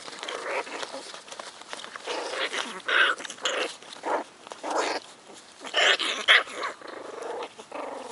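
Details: A litter of American Hairless Terrier puppies, four weeks old and born to Rainy and Rudy, gives irregular short squeaky yelps and squeals. Sharper, louder cries come in brief clusters between quieter gaps.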